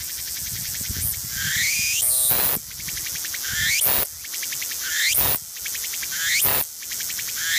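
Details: Walker's cicada singing loudly and continuously: a dense, harsh buzzing broken every second or so by a sharp rising sweep and brief dip, giving a pulsing, repeated phrase throughout.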